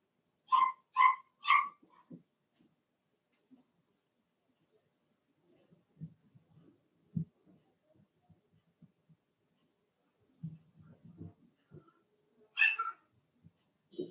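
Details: Blenheim Cavalier King Charles Spaniel puppies from a litter of six, two females and four males, in an indoor home puppy pen; three quick harmonic yelps open, followed by soft rustling and scattered thumps, then another short yelp near the end.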